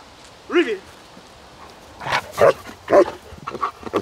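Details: German Shepherd during obedience and protection training: a short tonal yelp, then a quick burst of three loud, harsh barks about half a second apart. A few faint sounds trail after the barks.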